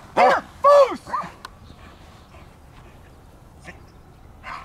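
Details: Powerful male German Shepherd with strong working ability, barking on command during handler-directed obedience and protection work: two loud rough barks and a shorter third in the first second, then quiet with faint handler sounds.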